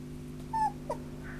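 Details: Sheltie and Spitz mix dog giving one short, high, slightly falling whimper, followed by a fainter brief yelp, over a steady low electrical hum.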